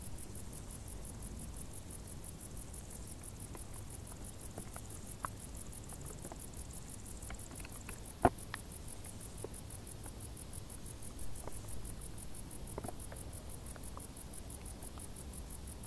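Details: Summer crickets in tall grass, their high pulsed chirping running evenly and quickly throughout, rather faint beneath a low rumbling background broken by occasional sharp ticks and one louder click.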